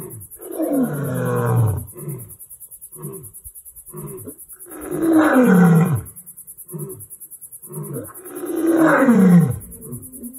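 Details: Lions on a reserve sanctuary in Limpopo bushveld, South Africa, roaring: three long, loud, deep moaning roars about four seconds apart, each followed by shorter grunts, with a steady high hiss in the background.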